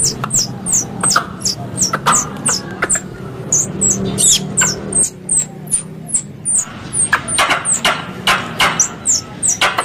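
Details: Lure recording of a squirrel: a fast, steady run of short high chirps, roughly three per second, with scattered dry clicks and a soft low rumble beneath.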